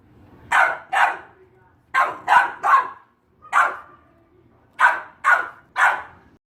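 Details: Barking Boxer dog, sharp single and paired barks in small clusters of two or three with pauses between, clear against a quiet background with a faint low hum.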